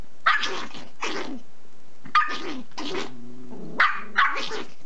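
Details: Angry six-month-old cream sable male Pomeranian puppy at a country house, snapping at its mother over a bone; sharp, harsh yapping barks in pairs with a short nasal whine between, quiet background.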